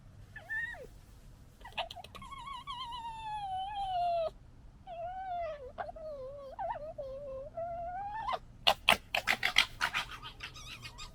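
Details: Red foxes of the 2021 litter fighting: drawn-out harmonic wails and whines that bend up and down, a short gap, then harsh rapid gekkering bursts of chattering noise near the end.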